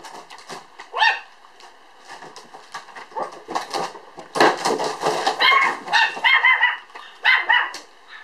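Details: Standard Poodle puppy born 1 July, filmed 5 September at 3.8 kg, giving irregular short yips and barks, some bursts clustered around four to six seconds, with small whimpering sounds between.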